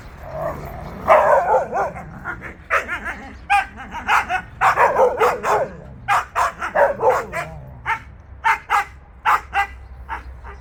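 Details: Several Jindo dogs out on a free walk, giving a rapid, irregular run of sharp barks and high yips over about ten seconds, with whining tones between bursts.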